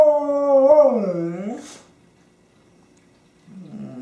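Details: Pet dog Honey, female, with her favorite squeaky toy on 24 January 2012, gives one loud, rich howl that wavers and slides downward for about one and a half seconds before fading to silence, then a faint low whine.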